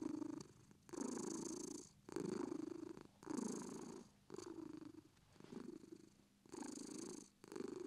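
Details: Relaxed British Shorthair cat purring, rhythmic low rumbling phrases alternating with brief quiet gaps as it breathes in and out, about fifty-three cycles per minute.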